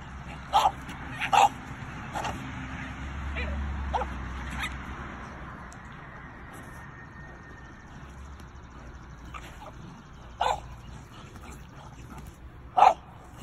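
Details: Two dogs, a Doberman and a French Bulldog, bark at a raccoon inside their boundary in the afternoon. A few scattered sharp barks stand over steady low rumbling background noise, with long quiet gaps between them.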